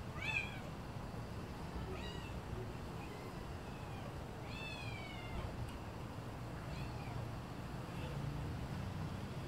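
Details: A very small kitten, even tinier than a calico kitten, gives about five high, downward-sliding meows spaced a second or two apart. The meows fade toward the end over a steady low rumbling background.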